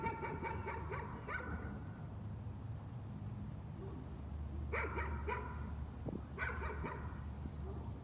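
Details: Dog keeps up its nuisance barking: a fast string of sharp barks at the start, then two short isolated barks later, set against low, steady background noise.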